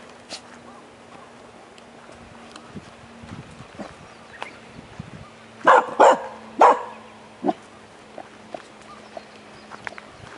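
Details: Jomon Shiba Inu dog barking: after a quiet stretch with soft clicks and a constant low hum, a quick cluster of three abrupt barks comes within a second, followed by one weaker bark shortly after.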